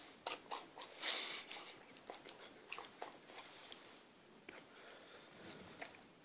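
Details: Sticky toffee from a chocolate eclair stuck in a six-month-old Akita puppy's mouth. Fast, irregular crisp crunches and bright smacking clicks come several per second.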